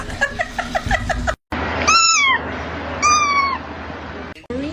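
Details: House cat meowing twice, short clear mews with a downward slide, about a second apart, after a woman's soft talking and a ticking patter; room noise underneath.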